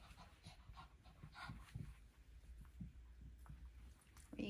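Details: Lacey, an aging Shih Tzu slowed down but still walking fine, breathes in rapid soft pants while roaming carpeted rooms upstairs for morning exercise; brief breathy puffs, a few low thumps, and a rising squeak at the end.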